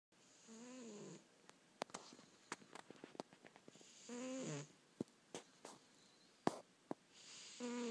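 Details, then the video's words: A pet cat snoring indoors: slow breathing cycles, each a rasping buzzy snore about a second long, heard at the start, middle and end, with scattered sharp clicks and taps between them. "Snoring cat"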